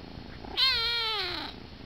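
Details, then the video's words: Sleepy kitten whining himself to sleep in a person's arms: one drawn-out tonal whine lasting about a second, starting high and sagging slowly downward before fading. "Sleepy whiny kitty"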